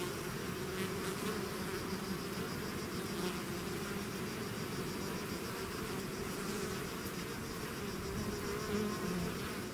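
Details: Bees swarming outside their hive produce a continuous droning buzz, a thick low hum with shifting tonal streaks as single insects fly near, steady in loudness throughout.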